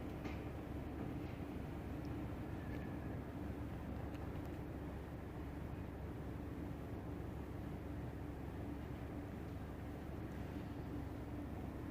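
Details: Continuous broadband rumble like a passing train or engine fills the recording, with a few faint high ticks and no animal voice.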